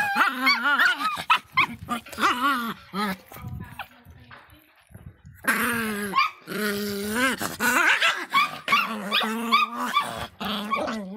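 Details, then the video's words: Miniature Pinscher named Faisca, a feisty small dog, giving high, wavering whine-like yelps in quick bursts, with a brief quiet gap midway before the strained, tonal barking resumes. "latidos de pinscher miniatura bravinho"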